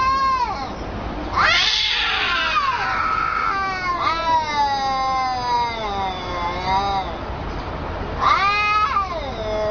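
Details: Talking cats giving long, drawn-out meows that bend up and then sag, one harsh strained cry near the start, continuous wavering yowls through the middle, and a fresh rising meow at the end.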